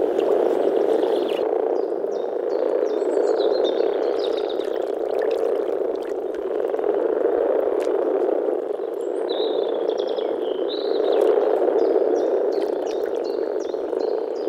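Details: Early-spring breeding gathering of European common frogs in a forest pond: males give a low, rolling, grumbling purr that swells and eases in waves, while birds chirp faintly in the background.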